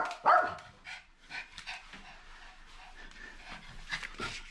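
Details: Papillon dog excited just before going for a walk: a sharp high yip at the start, then breathy panting pulses and soft whines repeated through the clip, one more yelp near the end.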